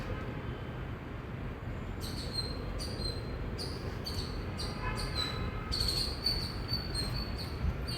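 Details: After a quiet start, an Indian squirrel bursts into loud chirping: rhythmic, sharp high chips with harsh, noisy edges, about two per second, continuing to the end over a low constant rumble.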